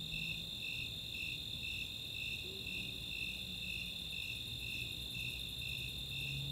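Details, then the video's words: Nighttime summer chorus of Snowy Tree Crickets and Four-spotted Tree Crickets, Chautauqua open space, Boulder, Colorado: rhythmic high chirps near two per second layered on a constant piercing trill, plus faint rapid high ticks of Greater Angle-wing Katydids. "Nighttime crickets"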